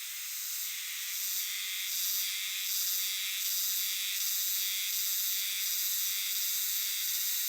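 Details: Euterpnosia chibensis cicadas in a great chorus in a dark Japanese shrine or temple forest, the song described as jiwa-jiwa-jiwa; loud high sizzling that pulses in regular swells, roughly three every two seconds.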